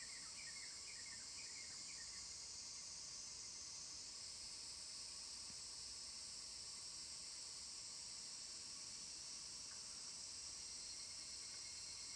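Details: Evening cicadas (Tanna japonensis) near Dosokei gorge, Ibara, Okayama, Japan, recorded 5 August 2014, give a high, shimmering drone that runs steadily throughout.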